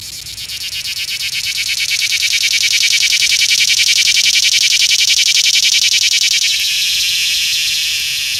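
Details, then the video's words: Cicada filmed up close on an iPhone 6S in a small Georgia town: a loud, harsh, rapidly pulsing buzz that swells over several seconds, holds steady, then shifts to a softer, smoother drone near the end. "Cicada bug making sound closeup"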